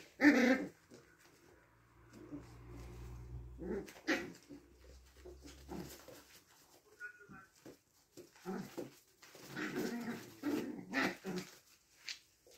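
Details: Six-week-old puppies indoors in a small room, giving short whimpers and yelps in scattered bursts, with a low rumble early on and soft shuffling between calls.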